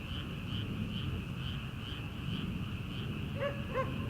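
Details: Frogs in rice paddies in early summer, before rice planting, give evenly spaced pulsed croaks about three times a second, while a distant farm dog barks twice near the end.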